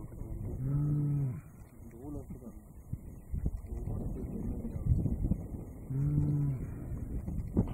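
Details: At Manyeleti Game Reserve, a male lion gives two deep, moaning soft roars several seconds apart; the observer thinks he is calling for his brother.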